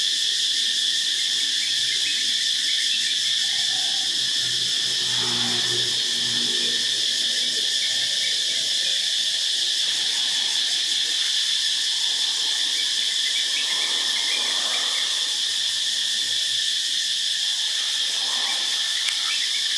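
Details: A morning chorus of cicadas in Phuket, loud and unbroken high-pitched buzzing at one steady level, with soft scattered lower sounds in the background.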